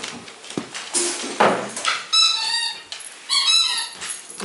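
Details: Pug puppy at eight weeks, first meeting with two other dogs indoors: high harmonic squeals and whines in a burst, preceded by rustling and knocks, with a woman's voice nearby.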